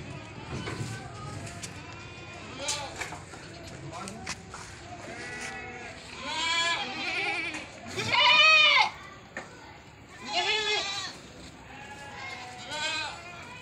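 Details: Goats on a farm in Bhadrak giving loud, wavering, nasal bleats, with two strong drawn-out cries late on and shorter bleats before them, while people talk in the background.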